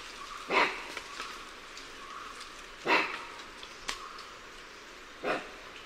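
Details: Lion-tailed and bonnet macaques giving alarm calls, heard from varying perspectives: three loud, harsh, barking calls about two and a half seconds apart, each a short broadband burst, with a fainter click between them over a steady background hiss.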